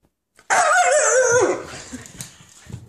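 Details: Hungry Husky puppies demanding breakfast indoors: a loud, drawn-out, wavering vocal cry lasting about one second, sliding downward at its end, followed by quieter rustling and faint noises.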